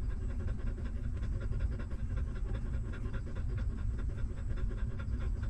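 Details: Newborn puppies nursing from their stray mother, hungrily sucking milk: quick repeated smacking pulses in an even rhythm for the whole stretch, set against a constant deep rumble.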